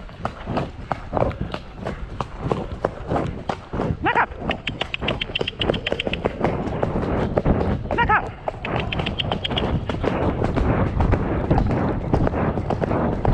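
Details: Trip on 2 May with Shire horse De Goot Damon (Ostsee Shires) to collect a new boarder from Falkendorf, following early rain. Repeated hoof clops near ninety per minute over steady rumbling noise, with short high squeaks around the middle.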